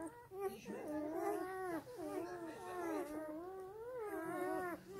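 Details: Black German Shepherd puppies suckling from their sleeping mother, several overlapping high, wavering whines that bend up and down in pitch, nearly continuous across the stretch with brief dips between cries.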